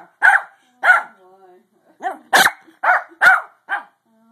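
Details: Pug trying to sleep, letting out short raspy barks, roughly eight spaced about half a second apart, with a faint whine between the first pair.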